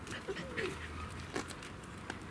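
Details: Three-month-old German Shepherd puppies born 18 June 2016 in Odesa, tussling together: short high yelps and a thin whine sliding downward, over rustling, handling noise and a person talking.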